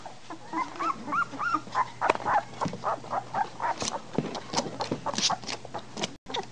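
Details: Litter of three-week-old American Bulldog puppies, recorded 27 March 2008: high arching squeals and whimpers at first, then a busy run of short yelps and squeaks, roughly four per second, overlapping one another.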